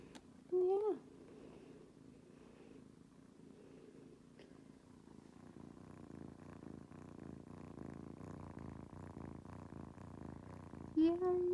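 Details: Indoor kittens on a cat tree, demanding attention: a short meow near the start, several seconds of steady low purring, then a second brief meow at the close.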